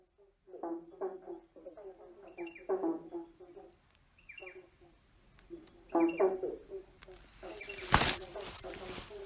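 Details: Frogs croaking under a bridge with an echo; bursts of low, pulsed croaks repeat in clusters, several callers overlapping, with a sharp loud noise near the end.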